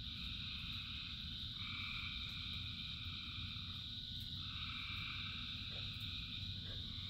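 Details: Thousands of frogs singing in the rain: a dense, unbroken chorus of layered droning trills at several pitches, with a higher band switching on and off partway through, over a steady low rush of rainfall.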